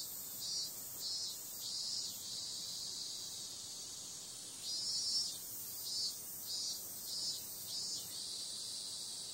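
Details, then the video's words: Cicadas calling on a summer night: a dense, high, hissing buzz that never stops, with brighter pulses swelling and fading roughly every half second to second, then a quieter stretch mid-way before the throbbing returns. "Cicada sound"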